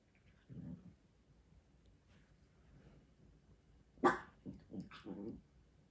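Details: Chi Chi, a six-month-old female Chihuahua and newly adopted pet dog, indoors: a low, brief growl early on, then one sharp bark followed by several short, clipped yaps and grumbles near the end, with quiet household background.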